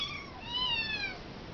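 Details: Tiny kitten meowing because it wants food, one clear, high, slightly wavering meow that rises and then slides down, lasting about a second, inside a room.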